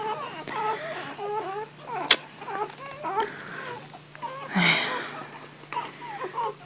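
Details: Golden Retriever Niuniu, a female about to give birth to puppies, whining without pause indoors. High nasal whimpers with wavering, bending pitch repeat in quick strings, broken by a sharp knock and a broad breathy burst.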